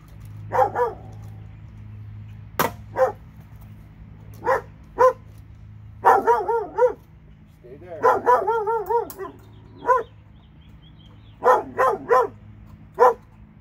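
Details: Two dogs in Alabama barking, single barks mixed with quick runs of wavering, yelping barks; a sharp knock early on and a low hum underneath.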